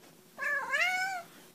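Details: Kitten wrapped in a soft towel lets out one clear, loud meow, starting abruptly, bending upward and then sliding down before fading, in a quiet indoor setting.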